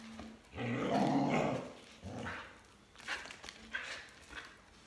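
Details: A Border Collie near its owner jumping rope gives a drawn-out, throaty growl lasting about a second, followed by a few softer grumbling sounds against steady room noise.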